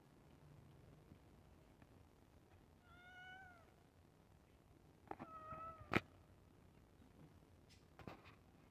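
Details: House cat awaiting the iftar meal utters two slightly falling, harmonic meows a couple of seconds apart, with sharp clicks and knocks nearby in a quiet room.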